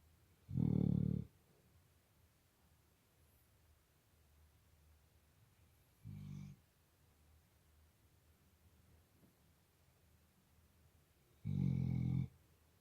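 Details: Sleeping Labrador Retriever snoring in a small room, its snores said to resemble a drunk man at times: three low, rasping snore bursts, two long and one short, spaced several seconds apart over near silence.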